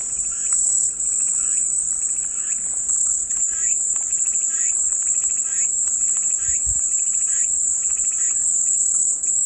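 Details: Cicada song used as soothing white noise: a sustained, piercing high buzz with slight wavering, accompanied by quieter repeated chirps and one brief low thump.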